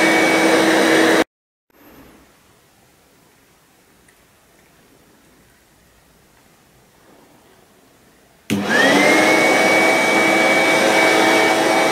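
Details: A loud vacuum cleaner runs indoors, cuts out abruptly for about seven seconds of near silence, then roars back on with a rising whine.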